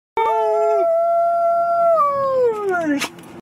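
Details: Domestic dog, the only one in its pack able to howl, howling in response to a passing fire truck siren: one long steady tonal howl, holding level and then sliding downward in pitch near the end, followed by a brief noisy sound.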